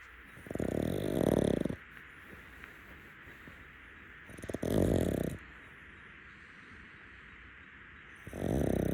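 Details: Napping rescue pug snoring in bed on a futon. Harsh, throaty inhalations last about a second, come roughly every four seconds, and are separated by near-silence.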